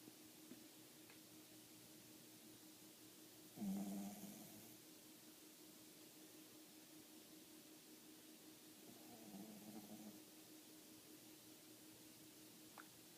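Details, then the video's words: Five-year-old pet dog asleep in a funny pose with its eyes showing white, snoring indoors: two slow, raspy breaths roughly five seconds apart, the first loud and buzzy, the second softer, over a steady background hum. "Dog Snoring with white eye!! 白目でいびきをかく犬"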